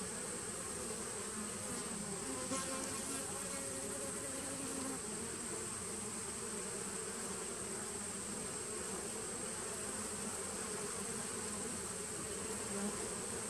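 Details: Honey bees of a nucleus colony started in 2017, recorded on 19 September 2018: a steady, dense low hum with layered droning bands, unbroken across the whole stretch, over a constant thin high-pitched whine.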